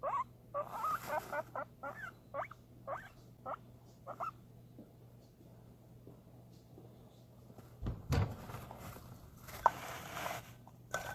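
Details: Guinea pig excited about food, producing a series of brief rising squeaks during the first few seconds, then mostly quiet with a low hum, a thump and some handling noise.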